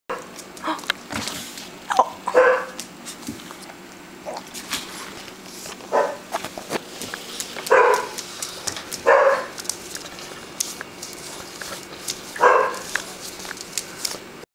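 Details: Beagle puppy objecting to having its picture taken, giving short, sharp yips and barks in scattered bursts, with handling noises and clicks between them.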